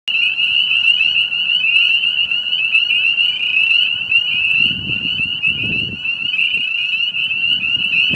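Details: A dense chorus of spring peepers on March 30, 2018, after a late start to the season, with countless high, piercing peeps blending into one shrill, unbroken ringing.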